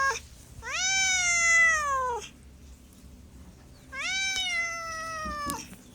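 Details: Two loud, clear cat meows, each about one and a half seconds, rising at the onset, holding, then sliding down at the end, separated by near silence.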